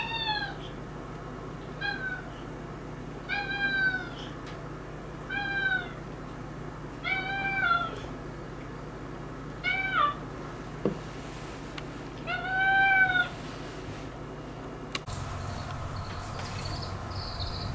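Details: Household cats living uneasily together: late arrival Miko seized every territory and attacks longtime resident Turi, who now acts dissatisfied. Eight arched, rising-then-falling meows repeat roughly every one and a half to two seconds; a faint rustle ends the sequence.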